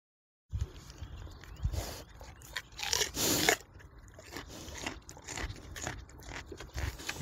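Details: A wild boar eating a carrot chews noisily, with wet smacking and crunching bites, possibly with soft low grunts.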